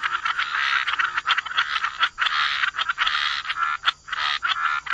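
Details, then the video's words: Wetland frogs croaking together, rough buzzy calls overlapping in a thick chorus, broken by brief dips and sharp clicking pulses. "Frog Lullaby: Relax to the Sound of Croaking Frogs"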